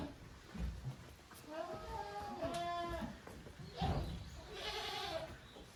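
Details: Goat kids at play in the yard of a handmade Japanese goat farm, Yoshigake, 13 June 2023, in two teams, the offspring of Koharu and Okayu. A few faint bleats over rustling and low thuds.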